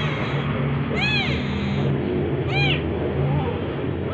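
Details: Domestic cat from a household with an orange cat and a calico, recorded around the orange cat's second birthday: two clear, arching meows about one and a half seconds apart, each with rich stacked overtones, over a steady low hum.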